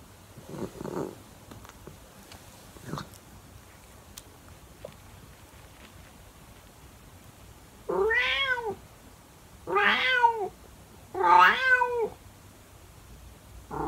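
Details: Calico cat meowing in the early morning, its drawn-out calls likened to singing or howling: three long, wavering, harmonic meows in quick succession near the end, each swelling and falling, after a few faint, brief sounds in a quiet indoor setting.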